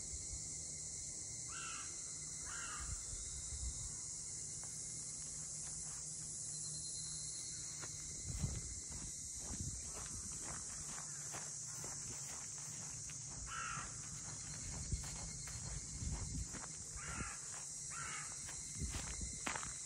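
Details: Cicadas calling around Ine no Funaya, the traditional boat-house townscape north of Kyoto, Japan: a steady, unbroken high hiss fills the air while a crow caws a few times and footsteps tap along a street.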